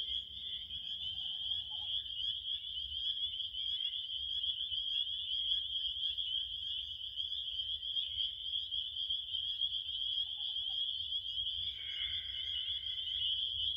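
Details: A steady cricket trill sustained on one bright, high note for the whole stretch. Faint lower chirps come and go, a buzzy burst rises near the end, and there is a soft low hum.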